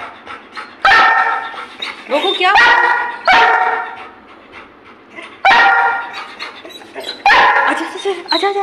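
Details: Mischievous pet Labrador Retriever named Goku barking repeatedly in play, five strong resonant barks at irregular gaps amid a woman's ongoing Hindi chatter and a few softer yelps.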